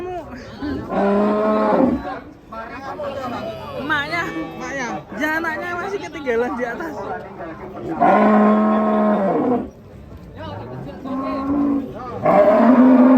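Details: Cattle, described as funny cows, give several drawn-out moos, each a low, droning, harmonic call lasting one to two seconds, separated by stretches of human talk.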